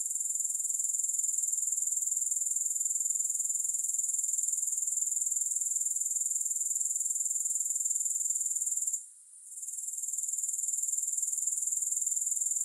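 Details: Sharp, thin insect trill from grasshoppers, a dense, rhythmic shimmer with no music, holding steady except for one brief dip around nine seconds before returning at the same level.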